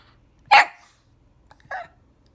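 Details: Shih Tzu puppy pestering its owner for a walk indoors: two brief, sharp, bark-like yips about 1.2 seconds apart, the first louder and brighter, with quiet room sound between.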